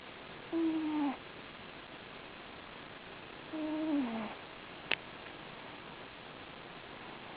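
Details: Domestic cat snoring in its sleep: two drawn-out, slightly falling nasal whistling tones about three seconds apart, plus a single sharp click between them, in a quiet room.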